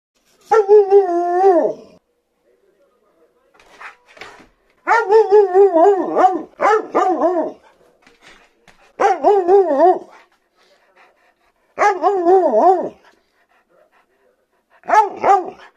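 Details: Siberian Husky indoors, joyfully indignant that its owner is late with dinner; a series of wavering, yodel-like howling vocalisations, each a second or two long, in five main bursts with short pauses and soft grumbles between.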